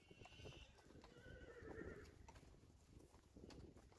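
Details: Friesian horse from a herd in Friesland, filmed August 2019, a distant whinny with a wavering tone descending over about two seconds, amid hoof clatter and outdoor background noise.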